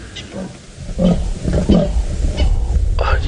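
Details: Tingana, a big dominant male leopard, roars to mark territory while scent marking along a drainage line at Djuma Game Reserve, Sabi Sand, South Africa, on a sunset drive, 3 September 2017; rough, low rasping bursts repeat about every 0.7 seconds, with a guide whispering.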